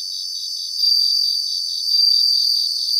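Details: Bell crickets singing in grassland: a steady high pulsing insect chorus with three louder, clear ringing bursts, each about a second long, repeated at roughly one-second intervals.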